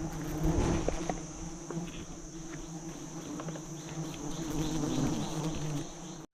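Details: Swarming giant honey bees around a large honey nest being harvested by hunters; a dense low hum runs throughout, with rough crackles and handling knocks, and a steady high-pitched whine overhead.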